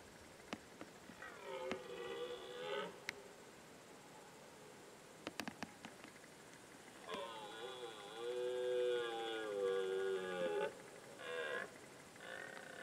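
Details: Young red deer stag, described as flirtatious, roaring in the 2019 rut: drawn-out harmonic bellows with wavering pitch, a short one then a longer one lasting about three seconds, followed by brief bursts, against a quiet background with scattered clicks.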